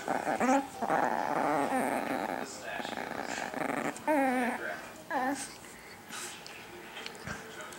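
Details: Chiquita, a little pet Chihuahua, plays her nightly toy game indoors, daring her owner to grab the dropped toy first; short rough growls and whiny vocal bursts come in uneven spurts, mixed with a woman's talking voice in a small room.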